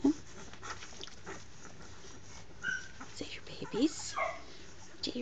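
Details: Two-week-old Samoyed puppies give brief high squeaky whimpers, a few short rising and falling squeals near the end, over a soft steady hiss, with a woman talking gently to them.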